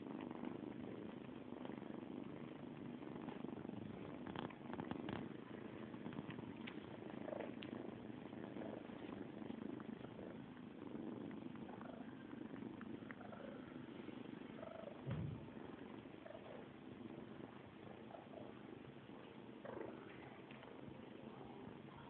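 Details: Kittens drinking milk give a steady, low, rumbling purr that runs continuously under the whole recording, with faint soft ticks and clicks scattered over it and a brief louder thump midway.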